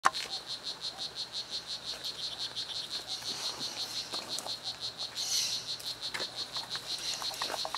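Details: Male strawberry poison-dart frog, "Blue Jeans" morph, calling in Costa Rican rainforest to attract females: a rapid, regular buzzy chirping of short pulses, several per second, high-pitched, with faint forest background.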